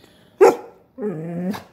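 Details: A female Basset Hound "trash talking" gives one sharp bark, then a drawn-out, slightly falling, grumbling moan.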